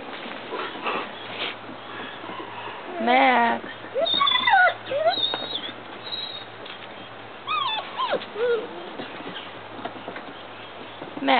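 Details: Standard Poodle whining and yipping in bursts, with squeaky, wavering high whines that slide up and down, broken by short yelps, and some human voice murmuring in the background.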